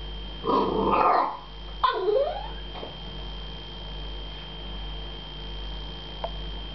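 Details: American Staffordshire Terrier meeting a cat for the first time, frustrated because it wants to play; two drawn-out, wavering whining yelps in the first two seconds, then quiet with a faint steady electrical tone.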